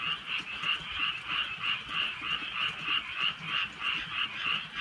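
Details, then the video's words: Frogs calling on a rainy countryside night: steady rhythmic croaking in a dense chorus, pulses arriving roughly three times a second, with a faint low background hum. "개구리 소리"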